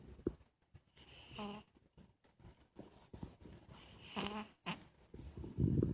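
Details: A sleeping cat making an odd snore: two nasal, whining snores with a buzzy tone, about three seconds apart, over constant rustling household noise, ending in a louder low rumble.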